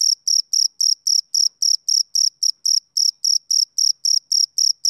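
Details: A male cricket's high, bright chirps on a summer evening, pulsed at a steady clip of roughly four per second, each burst short and tonal, with silence between.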